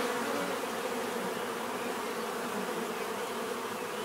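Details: Bees buzzing together in a dense, level drone of overlapping wingbeat tones, unchanging and without breaks for the whole short stretch.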